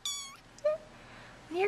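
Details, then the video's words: Bottle-fed kittens crawling out of their tent in a nursery at feeding time give short rising meows, a high thin cry then two lower ones, with a woman softly coaxing them. "Kittens Come Forth for Dinner!"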